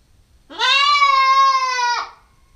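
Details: Nubian goat kid, a nine-week-old female, on a GoPro stakeout: a single long, clear, steady bleat of about one and a half seconds, rising slightly at the start and dropping sharply at the end, in near silence.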